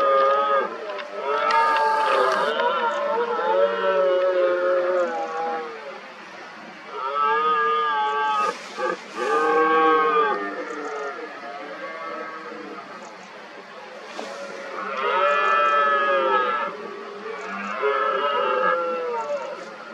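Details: Red deer stags during the 2023 rut, many rivals gathered around an injured dominant stag and hinds, roaring repeatedly. Long harmonic bellowing roars come in three main bouts about every six seconds, with overlapping calls from several stags.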